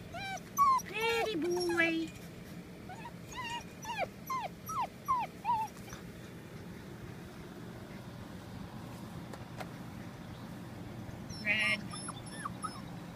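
Golden Retriever puppies whimper and yip in short, wavering high cries, with a person talking softly.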